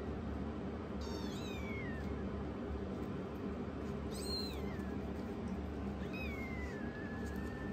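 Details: Rescued youngest foster kitten challenging its older sister kitten indoors, giving several high, thin meows that rise then slide downward, with a longer drawn-out meow near the end over steady low background hum.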